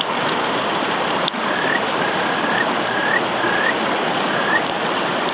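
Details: Kajika frog giving its advertisement call: short clear whistled notes near the upper-middle pitch, each slightly rising, repeated about five times at irregular intervals over loud rushing stream water, with a couple of sharp clicks.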